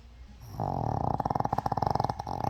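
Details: Thirteen-year-old Shih Tzu snoring loudly in deep sleep indoors, a noise likened to digging the ground: a fast rattling, fluttering snore of rapid throbbing pulses, about a dozen a second, steady for two seconds after a soft start.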